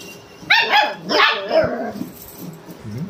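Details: Pet German Shepherd barking and whining to wake his owner: two loud harmonic barks, the second drawn out and sliding down into a whine, then soft low grumbling whimpers trailing off.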